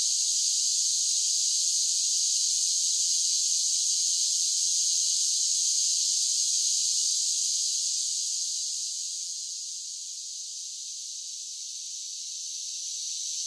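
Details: Continuous shrill buzzing of cicadas on a summer day, loud and even for about eight seconds, then easing slightly softer before building again near the end.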